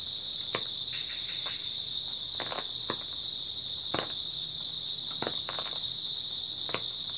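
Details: Early autumn night with grass insects calling together in a steady, piercing high trill that never pauses, while occasional short snapping clicks sound below it.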